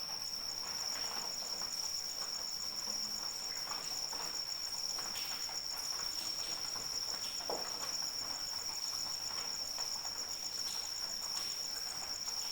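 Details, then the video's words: High, even cricket trill running continuously for the whole stretch, pulsing faintly, set against steady light rain and occasional heavier droplets. "Suara Hujan dan Jangkrik Pengantar Tidur"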